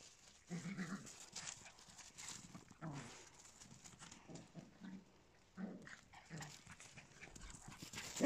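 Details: Small indoor dogs, Papillons with a Yorkshire Terrier, give short, low, harmonic whining and grumbling sounds in irregular bursts about every second or two, separated by soft noisy rustling.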